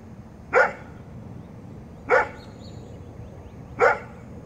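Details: Great Pyrenees dog doing his job, giving three loud, deep barks spaced about one and a half seconds apart, each short and forceful, over a quiet background hiss.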